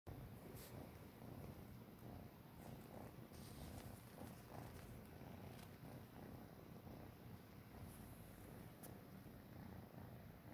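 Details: Tabby kitten, hungry for milk, nursing from a Siamese cat; a steady low rumbling purr runs unbroken through the whole recording, with a few faint clicks and soft rustles.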